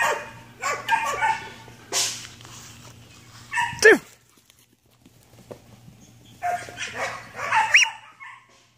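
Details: Belgian Malinois named Ares giving short, high yips and whines in two bursts, with a rising whistle-like cry near the end, then a quiet pause. A low steady hum runs in the background.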